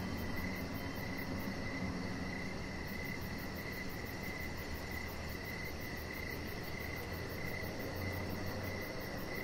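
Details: Crickets chirping steadily in the evening beside a deck with a chihuahua puppy and decoration lights; even mid-pitched pulses, a high faint ticking trill that drops out briefly then resumes, and low background hum.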